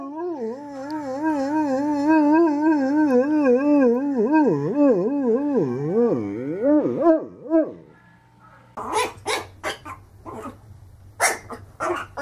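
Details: Dog in a funny compilation giving a long wavering, yodel-like howl that swings up and down in pitch for about eight seconds, then a short pause and a run of sharp, separate barks.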